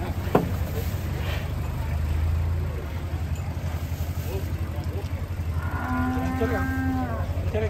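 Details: After several seconds of low rumbling background, a rampaging cow swimming in water calls once with a sustained, level moo that fades slightly at the end, while onlookers gather.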